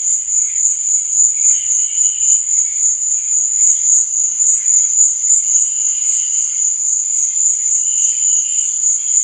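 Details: Night cricket chorus: a continuous shrill, high ringing trill pulsing rapidly and evenly throughout, with a few faint wavering lower tones drifting in and out beneath it.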